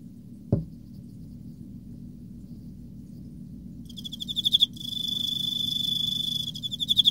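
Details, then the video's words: Emma field cricket in autumn: a single knock sounds early, followed by quiet. Then come bursts of rapid high chirping pulses and a steady trill, with more pulsed chirps closing the clip. "エンマコオロギ 秋 綺麗な鳴き声"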